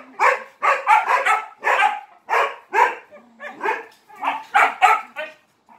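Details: Dog barking for attention while playing with three Malinois, giving sharp, loud barks in quick bursts of two or three, about thirteen barks over six seconds, with a brief whine between.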